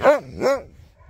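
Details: An old Siberian Husky making a strong recovery gives two short, arching, howl-like vocal notes, each rising then falling, about half a second apart, followed by quiet.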